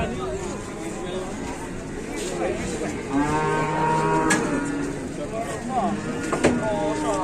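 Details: Newly arrived cow that caused an uproar, its nose torn right through, gives a long low drawn-out moo in the middle, with music and people talking behind.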